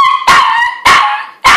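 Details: A little pet dog lets out three loud, bright barks, evenly spaced about half a second apart, with a whine-like tone trailing between them.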